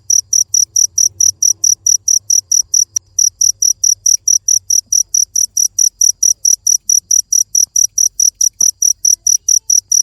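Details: Steady shrill chirping of a cricket, pulses repeating about four times per second, with one brief click partway through and a faint low hum.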